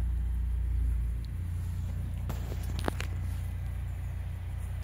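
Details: Low, steady engine rumble, with a few short sharp clicks near the middle and no animal voice.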